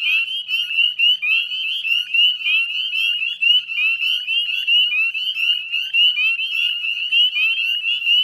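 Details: Dusk chorus of northern spring peepers, 9:08 p.m. on 18 May 2020 in West Chezzetcook, Nova Scotia wetlands: steady shrill peeping, sharp rising whistles stacked densely with no pauses, nothing else audible.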